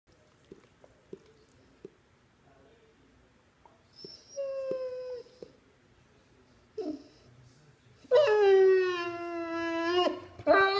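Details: Puppy throwing a tantrum because it wants its toy dinosaur back: quiet scattered clicks, a couple of high thin whines, then a loud drawn-out howling whine with many harmonics lasting two seconds, ending in a brief yelp.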